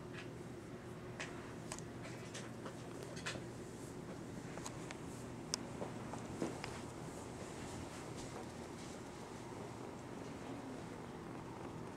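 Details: Quiet indoor room tone with soft scattered taps and clicks, possibly light handling or footsteps, and no animal voice.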